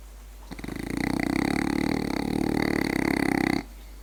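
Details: French bulldog snoring while asleep: one sustained, rattling, buzzy breath of about three seconds, fluttering rapidly throughout.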